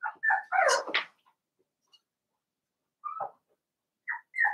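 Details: Blenheim Cavalier King Charles Spaniel puppies, seven weeks old, from a litter of five born to Paris and Spike at New Year's, in an indoor puppy pen. A cluster of high whiny yips and whimpers, a long pause, then a few short squeaks.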